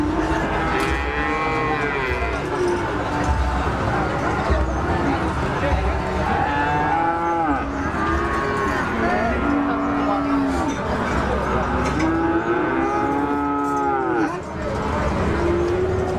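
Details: Several cattle moo one after another in repeated arching calls, some long and some short, spread across sixteen seconds. Constant crowd noise and low rumble sit in the background.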